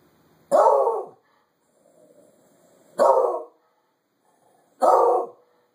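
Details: Bored with the winter weather, Cyrus the dog barks at it through a window, giving three strong, evenly spaced barks about two seconds apart over faint background rumble.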